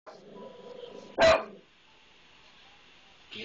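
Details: Pet dog barking at a maintenance man it dislikes: a single loud, harsh bark after a stretch of quieter murmuring voices and a faint hum, then a second sound beginning at the very end.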